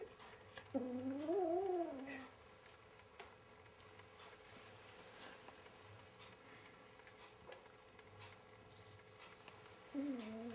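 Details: Indoor cat confronting its mirror reflection utters a warbling, rising-and-falling yowl lasting over a second, then quiet with small knocks, before a second low moan starts at the end.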